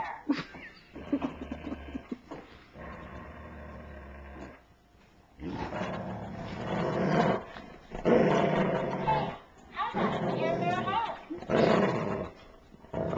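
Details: Hagrid the Great Dane and Mudge the labradoodle fighting over a Share Bear toy: rough, noisy growls in bursts of a second or two, with a human voice and background music in between.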